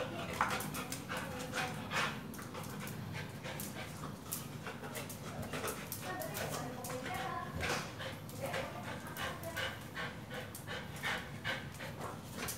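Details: Pit Bull training with a tyre, panting fast and irregularly in dense breathy bursts, with a few faint whimper-like notes and some background voices.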